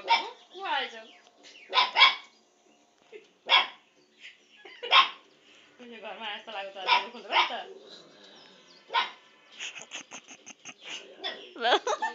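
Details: A 2-month-old Lhasa Apso puppy barks at the TV, giving high, sharp yaps in uneven bursts, with voices sounding in the background.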